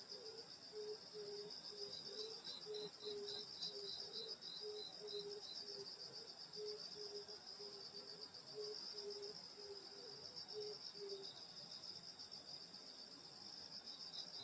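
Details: Countryside insects singing through a summer night at a grandmother's house: a steady high-pitched multi-voiced trill, with a low pulsing note repeated roughly twice per second for eleven seconds before stopping.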